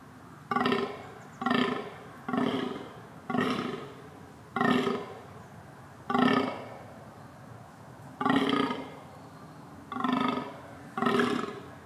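A deer calls over and over, each note a short, rough, nasal grunt with a buzzy, resonant tone. The calls come in a steady rhythm, about one per second, with brief quiet gaps between them.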